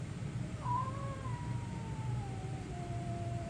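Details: Cat, one of two guest cats staying for two weeks, giving a long drawn-out meow that rises sharply then slowly falls over nearly three seconds, over a steady low rumbling background hum.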